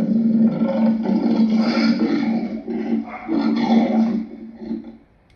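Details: Lion giving a harsh, throaty roaring growl that swells in two long surges over about five seconds, then tails off into quiet at the end.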